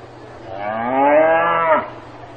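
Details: On a farm, a cow gives a single drawn-out moo lasting over a second, rising slightly in pitch and falling off sharply at its close, with a quiet steady hum behind.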